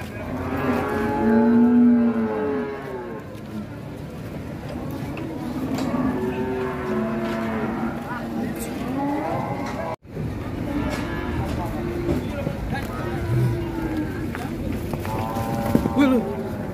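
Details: Enraged sacrificial cow coming down off a truck at the Siyono Harjo market moos repeatedly, deep and wavering calls spread across the stretch, amid a noisy crowd of shouting people.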